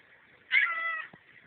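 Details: House cat holding a conversation with its owner indoors, recorded on a cell phone; a single clear, half-second meow that starts bright and eases down, followed by quiet room sound.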